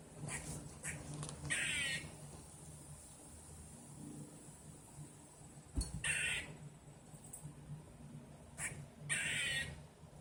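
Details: Squirrel heard outside, its call first taken for a bird's: short raspy chattering notes, then three loud harsh bursts spaced several seconds apart over a faint background hum.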